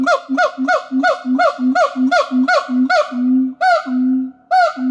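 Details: A siamang at a wildlife shelter in Thailand sings, using its gular sac, a fast series of loud, honking barks, about three each second, ending in longer calls.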